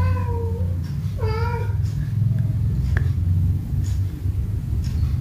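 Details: Cats busy playing ball on a rainy day. Two quick meows in the first two seconds, each sliding down at the end, then only a low background rumble and a faint tap.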